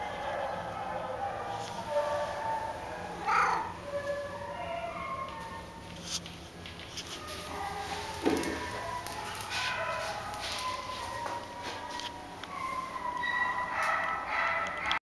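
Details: Domestic Shorthair cat at a shelter awaiting adoption, giving a series of short, tonal meows with some rising and falling wails, spaced irregularly over a low background hum and faint clatter.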